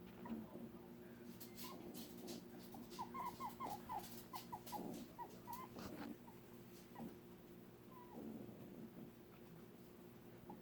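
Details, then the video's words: Dog making odd squeaky sounds when upset; thin high squeaks and whines in quick irregular bursts, mostly between two and seven seconds, faint against a steady background hum. "Weird Archer squeaky sounds"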